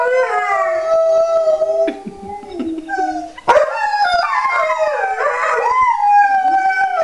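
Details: Howling Alaskan Malamutes: a long steady wail that fades into low whimpering, then a sudden burst of several overlapping voices with yips and swooping, quavering howls sustained to the end.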